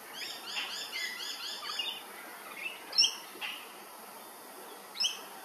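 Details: Flying foxes, fruit bats at Hervey Bay, Queensland: a quick run of high, arched, chirping notes opens, followed after a pause by two sharp, loud squeaks a couple of seconds apart.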